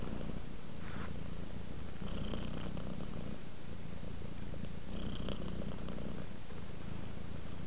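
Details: Relaxed domestic cat Rudolph produces a soft continuous purr, a deep fluttering drone that rises in brief brighter swells about every three seconds.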